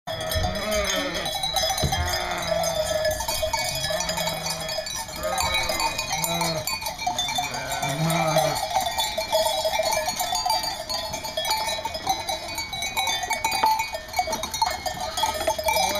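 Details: East Friesian dairy sheep at Karras Farm, a North Carolina breeder; several low, wavering bleats overlap during the first nine seconds above constant metallic ringing like cowbells, then the bleating fades and only the ringing and faint background sounds remain.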